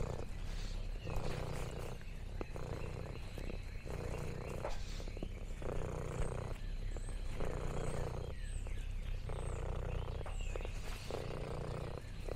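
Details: On a countryside farm, orange tabby Lexi purrs in contentment; rhythmic rumbling bursts alternate inhale and exhale roughly every second, while faint high bird twitters sound in the distance.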